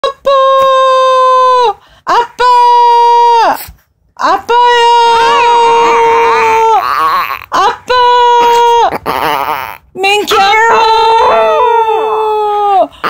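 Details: Black-and-tan long-haired Chihuahua named Mingki lifting her head to answer indoors when called: a series of level, drawn-out howls, each one to two seconds, with brief gaps and some warbling voice between them in a small room.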